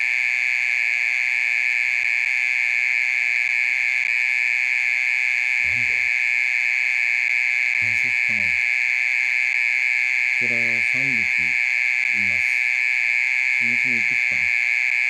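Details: Mole cricket singing in the middle of the night, calling for over thirty minutes: an unbroken, steady high buzzing trill at one even pitch with faint overtones, while low human voices murmur in short bursts.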